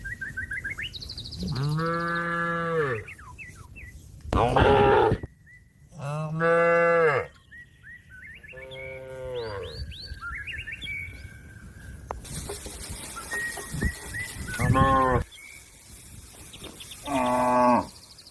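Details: Cow lowing to a friend eating grass in the field: a series of five or six strong moos, some long and wavering, others short, with chirping birds and a patch of hissing noise in the background.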